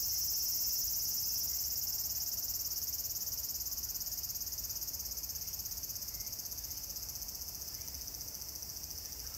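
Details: Cicadas at Meiji Jingu shrine, recorded 17 September 2018, fill the air with a steady, high, shimmering buzz that barely changes in pitch or loudness.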